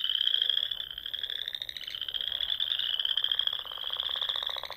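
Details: Chorus of frogs in spring dunes of Nebraska's Sandhills at dusk, pond country: a steady, shrill, buzzing trill mass with fast pulsing, growing rougher and more grating toward the end.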